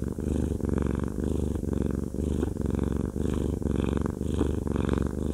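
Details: Deep, continuous purring from Haku, a cuddly fluffy cat being massaged indoors; the low vibrating drone pulses gently with each breath, about once per second.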